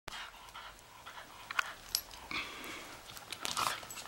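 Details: Shetland Sheepdogs in a pack enjoying a late April snowfall, heard panting softly in quick, breathy puffs with a few faint clicks and rustles.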